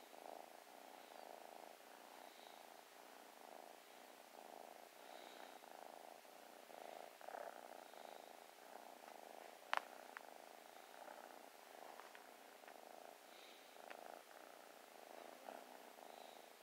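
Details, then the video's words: Loving new kitten purring as it snuggles: continuous rhythmic rumbling purr across the whole stretch, each breath cycle audible, one sharp click midway. "New kitten so playful and loving just purrs and snuggles"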